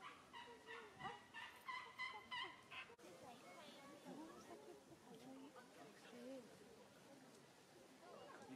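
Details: Female Asian elephant Utai, 25, at Ueno Zoo in Tokyo, squeaking near the female Surya: a quick run of short, high, harmonic squeaks over the first three seconds, then softer rumbling and murmured background sounds.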